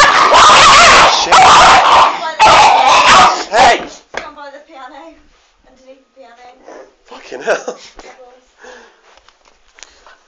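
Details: Two pet dogs squabbling over an unwanted treat: loud, dense snarling and barking bursts for about four seconds, then softer intermittent growls, whines and yips, with people talking over the scuffle.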